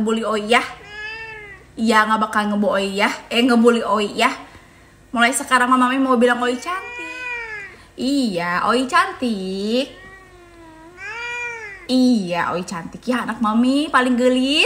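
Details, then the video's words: Owie, an odd-eyed cat, grows angry and lets out loud, repeated bent yowls that swoop up and down, in bursts separated by brief pauses, while people talk close by inside a small room. "KUCING MARAH MARAH"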